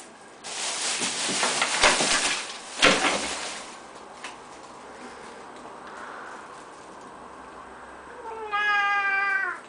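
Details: A female Birman cat on top of the kitchen cupboards, greeted by owners returning home on 11 July 2010, gives one clear, tonal meow near the end, after loud rustling and clattering.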